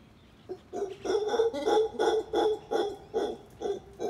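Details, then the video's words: Howler monkeys at Tamarindo, howling while eating: a run of deep, guttural grunting pulses, about two to three per second, rising in loudness then holding steady, rough and throaty. "Howler monkeys howling and eating"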